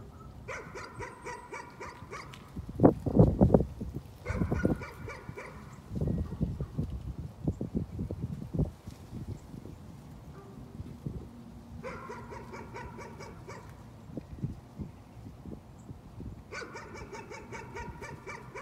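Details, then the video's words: Dog barking described as a nuisance, coming in four short volleys of quick repeated barks separated by gaps, with louder low thumps and knocking noises between the volleys. "Nuisance barking again."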